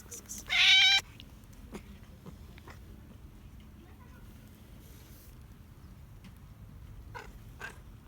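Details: Ginger cat that lives in a basement, gone outside because it wants food, gives one loud, strained, rising-then-level meow about half a second long, followed by quiet outdoor background with faint clicks.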